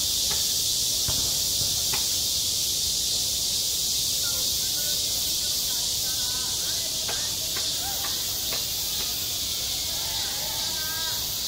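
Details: At a school playground in summer, cicadas keep up a steady, piercing buzz that fills the air; faint short clicks and brief soft chirps from other creatures break through now and then.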